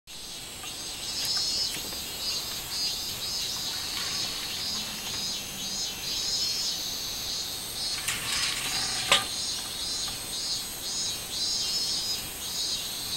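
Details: Robust cicada (ミンミンゼミ) singing on 24 July 2016: a dense, high buzzing shrill held steadily throughout, swelling in pulsing waves, with a couple of brief sharp clicks or rustles near the middle.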